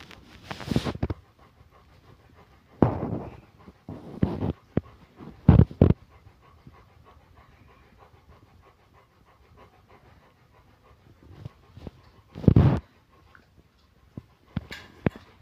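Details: A big Rottweiler panting in loud bursts of rough, breathy noise that come and go, with quiet gaps between the bouts.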